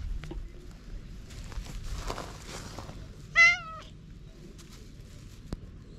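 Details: Single loud wavering meow from a stray cat on a cat island in Japan just before a fight breaks out, GoPro HERO8 recording; soft rustling and a sharp tap later against quiet outdoor ambience.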